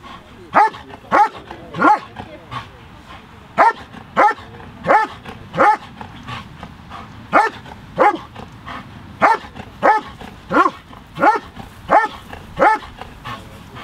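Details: Working dog at the 2023 FCI IGP Norwegian championship trial, giving a steady run of sharp, evenly spaced barks, roughly three every two seconds, over quiet background.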